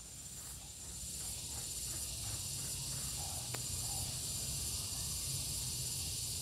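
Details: Gareng pung cicada giving a steady, hissing high buzz that runs unbroken through the whole stretch, with a faint thin whine laid over it and a low rumble of background noise beneath.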